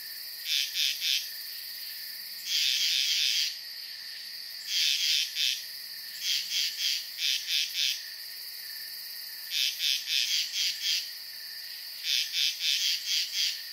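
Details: High, rapid trilled bursts from frogs at a pond at night, repeating every second or two over a steady shrill hum.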